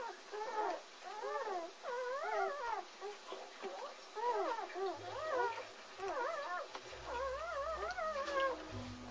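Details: German Shepherd puppies from the Anarchy and Core litter, three males born February 18, 2009, whimper and squeal in high, wavering, rising-and-falling cries, overlapping in repeated bursts, over a faint low rumble.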